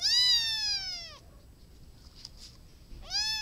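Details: A domestic cat meows twice. The first call is long and bright, falling in pitch over about a second. A quiet gap with faint clicks follows, and then a second meow begins near the end.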